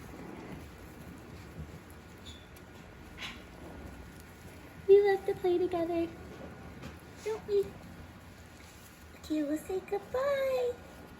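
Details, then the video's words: Five-week-old Havanese puppies at play, giving short high whines and yelps in brief bursts around five and ten seconds, with quiet indoor background and a person speaking softly. "5 week old Havanese Puppies"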